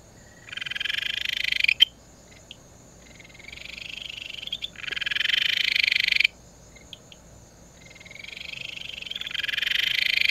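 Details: Ryukyu kajika frog, the most common frog on Amami (Tokara, Amami and Okinawa islands), giving high, buzzy trills that swell in volume and repeat every couple of seconds.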